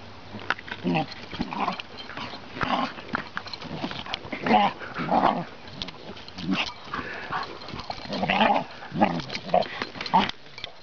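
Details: Chocolate Labrador puppy, seven months old, tussling with a gentle 20-month-old Ridgeback; bursts of rough growling and snorting play noises come in quick irregular runs, mixed with scrabbling and occasional human speech.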